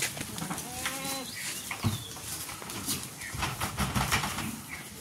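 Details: Male goats at a market in Ratnagiri, bought and sold ahead of Bakri Eid; one short wavering bleat near the start, then steady crowd murmur and scattered thumps and voices.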